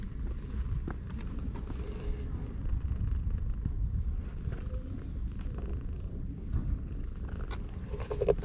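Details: Stray cat sunbathing at a Japanese shrine purrs while being petted, recorded on a GoPro HERO8: a steady low rumbling drone throughout, with scattered soft clicks and rustles of handling.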